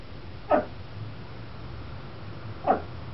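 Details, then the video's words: Vespa the Chihuahua up in a bay window barking at people gathered for the school bus, companion dog Tucker barking too; two brief, sharp barks roughly two seconds apart against a faint low hum. "Ferocious Chihuahua Vespa Threatens Crowd"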